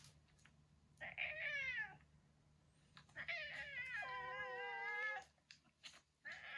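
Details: Indoor cat scene featuring aging boss cat Kuro, also called Yongo, retired from ruling a neighbourhood. A short rising yowl is followed by a long wobbling, moaning howl lasting about two seconds, with a faint electrical hum beneath.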